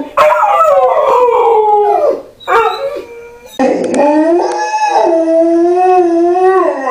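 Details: Malamute or husky howling indoors: a short wavering howl, a brief break, then a long steady howl holding pitch for about three seconds with slight waver, faint household sounds behind.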